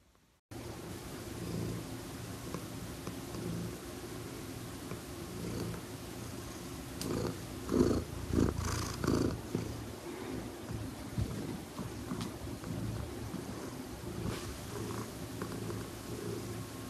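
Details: Domestic cat purring, a steady low rumbling purr with pulsing low bands throughout, broken by soft clicks and rustles around the middle.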